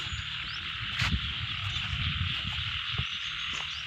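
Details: Frogs calling in a rice field: a dense, steady, shrill chorus runs unbroken throughout, over a low rumbling background with a few soft knocks.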